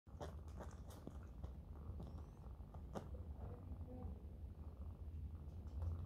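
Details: Mother cat lying with her kittens, purring in a steady low rumble that runs the whole time, with soft clicks and faint rustling from the kittens over it.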